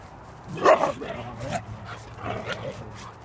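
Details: Delta, a Siberian Husky, gives a brief singing vocal: a short yowling burst with a rising then falling tone, followed by softer, wavering voiced sounds, over a steady low hum.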